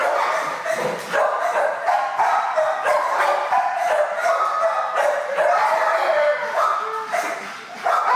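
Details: Dogs barking nonstop in a kennel room at a city animal shelter, a dangerous-rated shelter dog acting wild while a trainer waits for calm; dense overlapping sharp barks from many dogs, echoing, no pauses.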